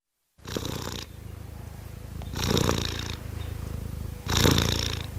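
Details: Cute kittens purring; steady low rumbling purr with louder breathy bursts on each breath roughly every two seconds.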